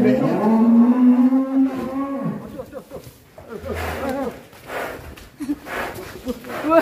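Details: Black bull said to be raging, with red eyes, near a beach at Alas Purwo village: a long, flat, low moo of about two seconds, followed by men talking close by.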